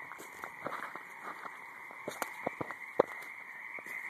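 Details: Frogs in a high marsh give quick clicking croaks over a continuous droning chorus, with several close, sharp notes clustered toward the end.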